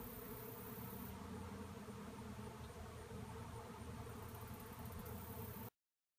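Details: Honey bees swirling in a swarm after being cut out of a tree; a dense, steady, low droning hum of many wingbeats runs unbroken for over five seconds, then stops abruptly.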